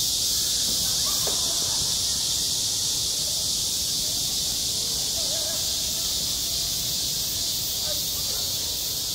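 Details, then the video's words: Cicadas singing on a school playground in midsummer: a dense, unbroken high-pitched buzzing drone that holds steady throughout, with faint murmurs of distant voices underneath. "한 여름 운동장에서 매미가 울고 있다 - 여름의 소리, 학교 종소리, 매미 울음소리"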